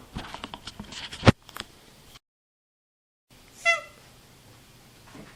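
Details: Domestic cat indoors giving a single short meow with stacked harmonics that slide downward, preceded by a run of sharp clicks and taps, then quiet.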